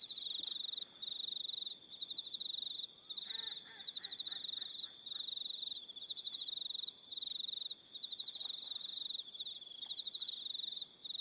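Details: Evening crickets on Aroha Island, New Zealand, giving rapid pulsed chirp bursts in overlapping rows; around the middle a brief lower harmonic call from another creature cuts in, then the steady insect chorus continues.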